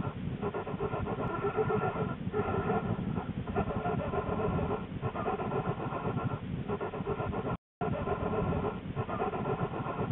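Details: Lily the black bear in her winter den, January 13, 2013, shortly before the birth of her two cubs. A steady, throbbing low drone with humming overtones breaks off in short gaps every one to two seconds, with one brief dropout.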